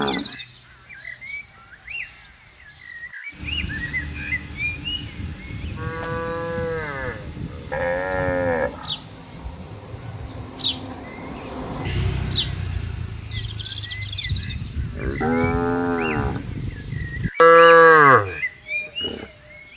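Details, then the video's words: Herd of tame cattle eating grass on a green pasture in the morning; after a quiet start, two moos come close together mid-recording, then two more near the end, one loud and abrupt, over steady bird chirps and low rumble. "Suara Sapi Lembu Menggema di Ladang"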